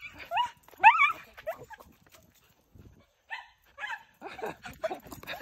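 A Miniature Schnauzer greets its owner with excited, high whines and yips while a person talks and laughs.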